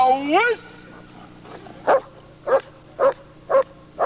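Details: Footage of German Shepherd Lord v. Gleisdreieck, DDR, taken off a TV screen and dated 1995: a brief rising-and-falling tonal voice-like sound opens, then five evenly spaced barks follow about every half second.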